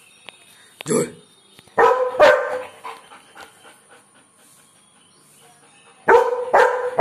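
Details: A German Shepherd barking at birds gives deep, harsh barks in short bursts, with a steady high whine in the background.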